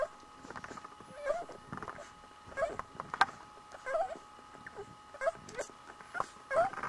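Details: Nursing Border Collie puppies, one week old, let out brief upward-curling squeaks every second or so, separated by quiet gaps, over a low steady hum.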